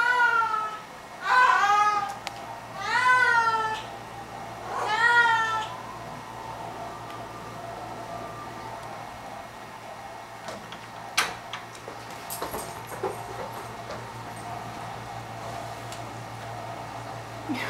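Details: Cory, a pet cat, sings to her sock indoors: three long, wavering, harmonic meows in the first six seconds, each rising then falling, followed by quiet room noise with a few soft clicks and rustles.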